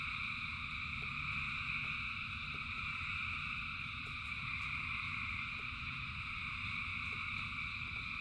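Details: Thousands of frogs sing in the rain, producing a steady wall of shrill trilling tones; scattered raindrop ticks and a deep low rumble sit beneath the chorus.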